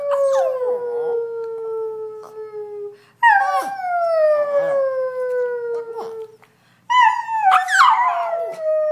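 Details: Singing on request, Chloe the Brussels Griffon produces three mournful howls. Each begins high and glides slowly lower, with brief gasps between. The last breaks into a wavering, quavering tone.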